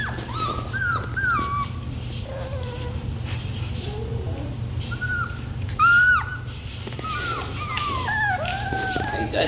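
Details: Labradoodle puppies of the Kiwi litter whining before late-afternoon food: a chorus of thin, squeaky, down-curving cries, some sharp rising yelps, repeated irregularly through the stretch, with speech in the background and a low electrical hum.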